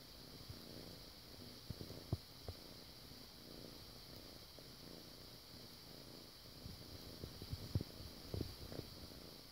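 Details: Foster kitten Bartok purring softly while making air biscuits, kneading the air with its paws; a low, steady rumbling purr with faint rhythmic pulses and a few small clicks and bumps over a quiet hiss.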